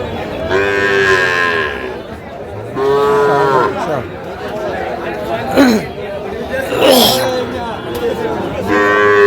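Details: Small Sahiwal calves, bull and heifer, for sale in Faridpur, Bangladesh, 17 March 2025: three long nasal moos, with the last one cut off at the end. Buyers chatter and ask prices in the background.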